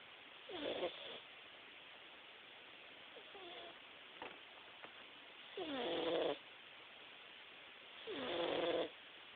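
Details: Jaxson, a Himalayan cat, snores while taking a nap: four rough, breathy bursts with a nasal tonal edge come roughly every two to three seconds. The last two are longer and louder, over a steady background hiss.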